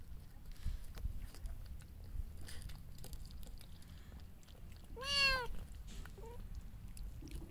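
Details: Mother cat and kitten feeding together indoors; a single rising-falling meow near the middle, with soft chewing and low rumbling room noise throughout.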